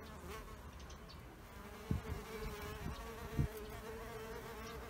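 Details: Bees at an insect hotel: a steady mid-pitched hum holds throughout, with a few low thumps near the two- and three-and-a-half-second marks.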